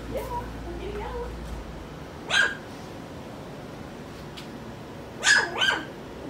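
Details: Skittles' four-week-old pups indoors; two short, sharp puppy barks about three seconds apart, each a quick burst, with faint voices early on and quiet room tone between.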